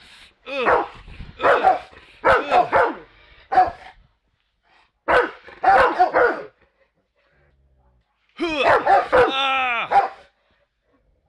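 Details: Angry Rottweilers, among them Brutus, bark at an aluminum baseball bat held up to provoke them. Deep, harsh barks come in three bursts of rapid repeats, ending in a snarling growl-bark, with a man's voice heard between bursts.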